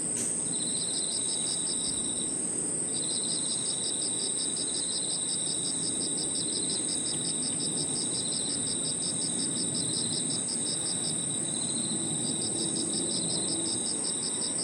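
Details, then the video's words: Evening chorus of crickets and other insects in a park, with a high constant ringing tone above a rapidly pulsed trill that breaks off briefly twice, plus a lower steady buzz and soft distant rumble. "Harmonious sound of crickets and other insects 저녁 공원 풀벌레 소리"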